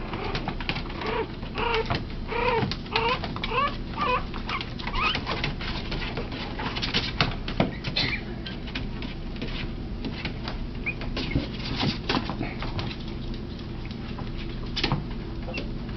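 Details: Three teacup Yorkshire Terrier puppies play and tackle after nursing; a run of short arched squeaks repeats about every half second over the first five seconds, then fades into shuffling, soft patter and a faint room hum.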